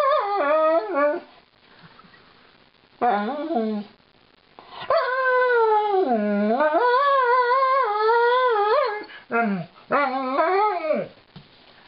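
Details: Lightning, a female Alaskan Malamute, sings a woeful song while being brushed by her owners: drawn-out, wavering howl-like moans in rising and falling phrases, broken by short pauses, with a long sustained wail in the middle.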